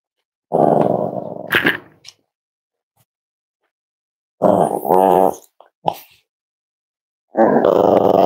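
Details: Five-week-old Cavalier King Charles Spaniel puppies from Myra and Remy's litter, indoors at Red Barn Cavaliers on a chilly Thursday morning during weight checks; three long, rough, harmonic growling bursts of a second or more, separated by silent gaps.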